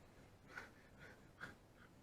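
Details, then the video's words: Sleeping dog snoring indoors, two soft nasal snorts roughly a second apart, each a short breathy rasp, with a fainter third breath near the end against a quiet room background. "I OUGHT MY DOG SNORING"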